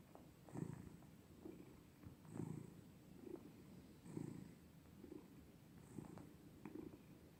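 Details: Domestic cat purring steadily: a low, throaty rumble pulsing with each breath in and out, roughly every two seconds, quiet and continuous, with a faint high-pitched hum behind it.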